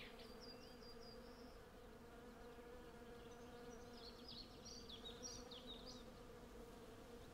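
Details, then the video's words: A constant low hum comes from hundreds of western honey bees gathering honey in a flowering cherry tree, recorded on a Zoom F6 with Sennheiser MKH 8040 mics. Faint bird chirps and a short twittering phrase sit softly above. "Honey Bee Sound Library"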